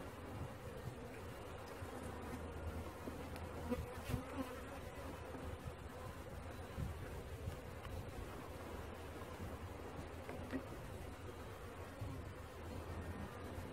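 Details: A swarm of honey bees during capture, giving a continuous, even drone of many wings, low and rough, with a few faint clicks and knocks over the humming.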